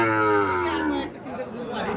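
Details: Sahiwal calves, in pairs at the Ambari livestock market in Parbatipur, Dinajpur, a market held on Fridays and Mondays. A loud, deep, harmonic moo falls slightly in pitch over about one second, then fades into murmuring crowd voices.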